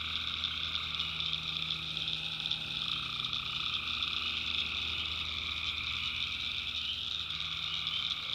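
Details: Many tree frogs call at night in North Carolina backwoods, a steady high trilling chorus, with a faint low hum underneath throughout.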